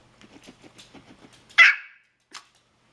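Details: Pomeranian begging for pineapple, heard first as soft rhythmic sniffing or panting puffs, then one sharp loud bark and a brief faint yip after it.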